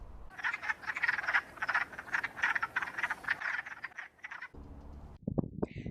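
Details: A chorus of wood frogs calling in the woods in early spring gives rapid, clucking, duck-like quacks for about four seconds, ending with a few louder, separate croaks.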